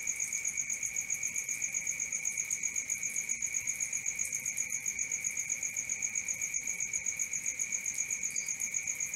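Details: Continuous nocturnal cricket song, piercing and even, in two high layered tones with a rapid regular pulse near four beats a second; one faint short extra chirp near the end.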